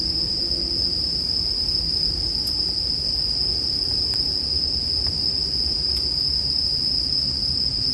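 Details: Steady high-pitched bell cricket trilling, unbroken throughout, mixed with occasional crackling pops from a burning bonfire and a low background hum.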